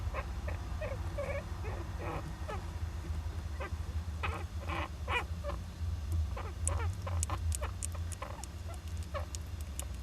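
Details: Japanese giant flying squirrel youngster inside an owl nest box on 19 July 2010. It gives many rapid short cries, some buzzy, some ringing, and these turn into thin high clicks and squeaks in the later seconds. A constant low rumble sits underneath.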